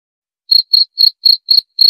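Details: After a brief silence a cricket starts up with six crisp, high chirps spaced evenly, roughly four per second.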